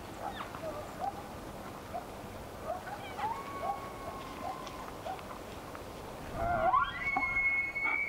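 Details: Bull elk in the mating season: a string of short clipped notes repeated about every two-thirds of a second, then a loud sweeping bugle rising into a high sustained whistle.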